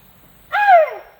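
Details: A tuskless male Asian elephant begging for food as grass is about to be thrown to it. A single loud, tonal squeak about half a second long, slightly arched and then sliding downward, with rich overtones and no other sounds.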